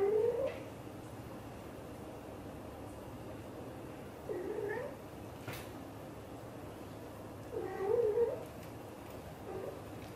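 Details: Blue golden British shorthair mother cat talking to her kittens indoors: three soft, wavering meows, rising then bending, spaced roughly four seconds apart over low room hum.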